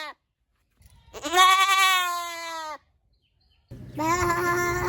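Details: Goat giving one long, drawn-out wavering bleat lasting about a second and a half, followed after a short silence by the start of a second loud, nasal bleat.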